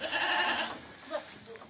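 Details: Goat kept on silage feed in the rainy season; a single strong, wavering, nasal bleat held for about 0.7 seconds, then quieter thumps and a faint short call near the end.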